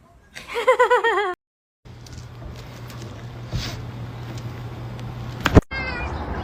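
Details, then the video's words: Domestic cat giving a single drawn-out meow of about one second with a wavering, quavering pitch, followed by a steady low hum, background noise and a sharp click, then a brief faint second cry at the end. "cats meowing"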